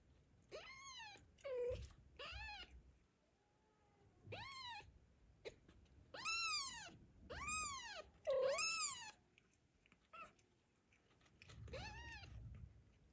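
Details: A mother cat named Zlata, just after giving birth, guards her newborn kitten on an afternoon walk as the cats Joanna and Ginger approach. Loud, arching meows come in separate bursts, some short and some drawn out, with quiet gaps between.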